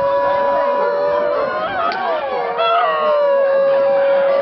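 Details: A Basenji yodels with wavering, sliding howls, set off by a harmonica playing a steady tone, at the 2011 Swedish Basenji Specialty during a yodel-champion contest.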